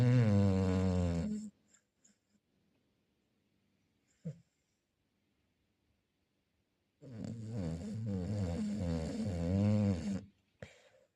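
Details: Chow Chow snoring indoors: a loud buzzy snore fading out, several seconds of near silence broken by a brief snuffle, then another long rasping snore of about three seconds with wavering, pulsing pitch.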